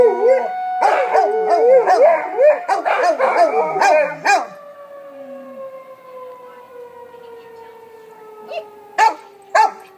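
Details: Wavering, looping howls from pet dogs including Biggs during a tornado warning siren, their first time hearing one; the howling fills the first four seconds, then the siren's long falling tone carries on with a few short yelps.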